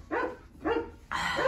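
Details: Eleven Rottweiler puppies after a group deworming, hungry and squealing while scrambling for food: three short, tonal yelping whines, each about a third of a second, separated by brief pauses, with rich harmonics and a wavering pitch.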